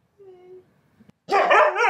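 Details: Siberian Husky talking back to its owner: a faint, thin whine, a short pause, then a loud, wavering, yodel-like howl that bends up and down.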